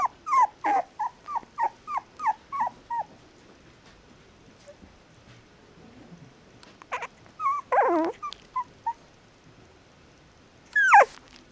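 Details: Mixed-breed puppy giving a rapid string of short, downward-sliding whines, then a pause before a few scattered higher whimpers and a final shrill rising-falling cry.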